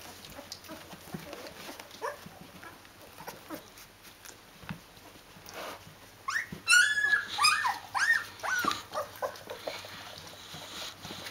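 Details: Fourteen-day-old Rhodesian Ridgeback puppies with their mother: mostly soft rustling at first, then a burst of shrill, rising squeals and yelps near the end, overlapping quickly.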